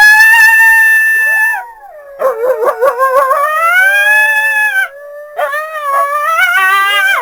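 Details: North American coyote: a long clear howl, then a burst of rapid choppy yips rising into smooth upward-sliding howls, and after a short pause more ascending howls.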